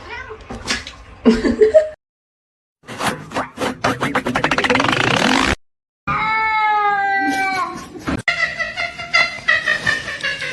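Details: Domestic cat from a funny-cats compilation voicing drawn-out, strained meows and yowls with rapid pulsing stretches, broken by short silences. Some faint music is present.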